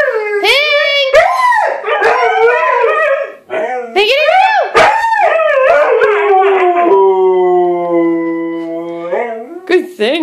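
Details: Two Siberian Huskies howling together to help their owner find the other dogs: overlapping wavering, rising-and-falling howls, then one long steady howl that slowly drops in pitch and fades.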